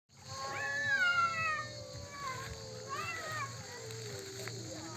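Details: Domestic cats in a 'talking cats' clip give drawn-out, wavering meows that rise then slowly fall, one long call followed by a shorter bent one, with a steady low hum and faint voices behind.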